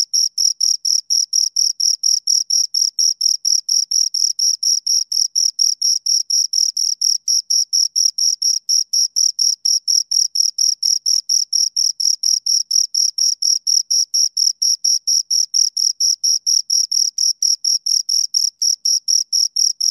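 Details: A pair of crickets keeps up a continuous, high, ringing chirp, pulses repeating roughly four times a second with machine-like regularity across the whole stretch, nothing else audible in the background.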